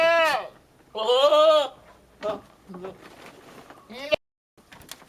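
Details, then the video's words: Billy goat yelling weird, funny noises at a nanny goat to show his love: two loud, harsh, strongly harmonic bleats, the second longer and wavering, followed by shorter, quieter grunting bleats and a sharp click near the end. "Funny billy goat yelling weird sounds at nanny goat"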